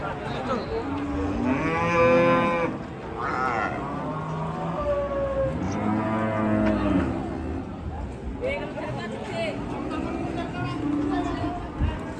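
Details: Angry, raging cattle give a series of strong lowing bellows, each a second or two long with bright harmonics. The calls come several times over twelve seconds, above steady background rumble.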